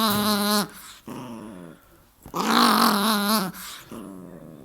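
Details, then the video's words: While being wrestled by its owner, a dog gives two drawn-out, harmonic moaning growls with wavering, slightly bending pitch, separated by quieter gaps and a man talking to it. "Funny Dog Noise"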